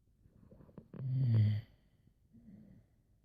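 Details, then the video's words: Sleeping Boxer named Laila snoring mildly in bed: a few faint clicks, then a loud, deep, rattling inhalation lasting half a second, followed by a quieter breathy exhale; quiet room. "Yes, Dogs Snore"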